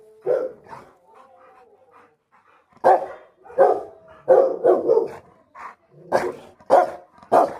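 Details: Rottweiler barking at street dogs it has spotted outside on the road; loud, harsh barks in irregular bursts, some coming in quick pairs, with short quiet gaps between.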